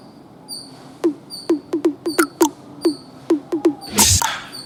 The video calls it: Squirrel Sounds Squirrel Chatter Squirrel Noise making Sound